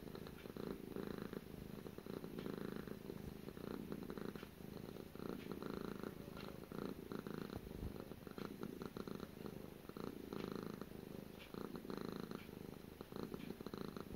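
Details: Gara, a pet cat, purring close up: a steady low rumble, throbbing in long breath-linked swells without pause, with a faint hiss over it.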